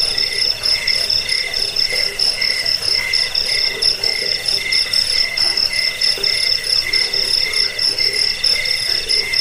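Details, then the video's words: Crickets offered as a sound to drive away rats, lull listeners to sleep and tutor songbirds; several high, shrill pulsing trills overlap in a steady, unbroken chorus, with a low, hissing background. "Suara jangkik pengusir tikus pengantar tidur"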